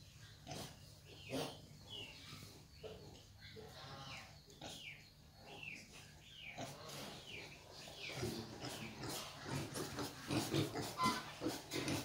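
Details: A hybrid wild boar sow nursing her piglets, with rapid, repeated soft grunts mixed with the piglets' high, thin squeals.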